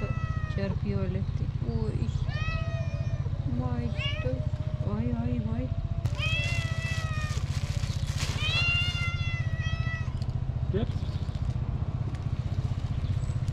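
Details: Hungry tuxedo cat with a black nose meowing loudly for food: a run of drawn-out, bending meows, some rising then falling, repeated every second or two, over a steady low engine-like hum with people talking.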